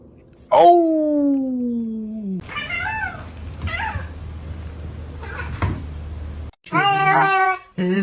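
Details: Pet cat in a funny cat compilation: a long falling meow, several shorter mewing calls, then a loud strained meow near the end, with a low background hum and faint voices.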